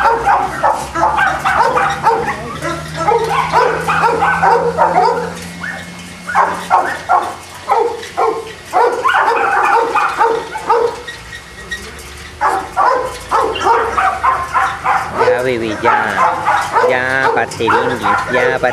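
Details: Kennel Boston Terriers in Jamundí, Cali, Colombia, keep up a long stretch of rapid, irregular barking from several dogs, bursts crowding together, then easing briefly before another loud, yelping flurry.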